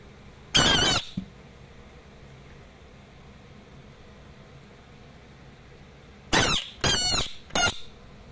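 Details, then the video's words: Asian bullfrog screaming: one loud, harsh, broadband scream near the start, then after a long quiet gap three more short rasping screams in quick succession. The background is quiet. "Cute asian bullfrog screaming"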